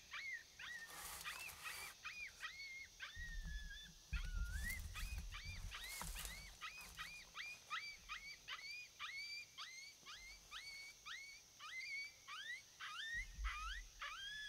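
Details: Coyote vocalizing during a predator hunt: a long run of quick, high yips, each sliding up then dropping, repeated rapidly in a chattering chorus, with bursts of wind rumble underneath.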